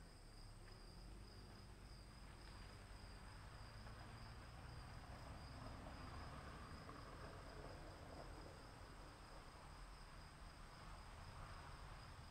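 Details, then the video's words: Rain falls while crickets keep up a constant shrill trill, two even high tones that never pause, laid over dense rain hiss and a low rumbling drone in the background. "1 hour of cricket sounds in the rain"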